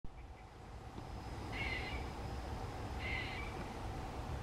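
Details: Squirrel named John calling: two short, harsh, buzzy bursts about a second and a half apart, each rising slightly, over a steady low rumble of background noise.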